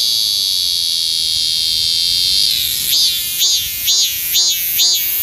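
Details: A cicada (maemi) in the Sejong University garden, South Korea, sings a steady, shrill buzz that breaks into loud, rhythmic pulsing phrases; the song is made to attract females.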